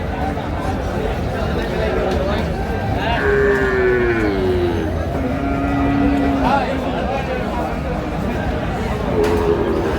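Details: Sahiwal bull calves at a busy cattle market, bought by a Chattogram farmer on 25 March 2025. A drawn-out moo falls gently in pitch through the middle, and a shorter one follows near the end, over constant crowd chatter and bargaining voices.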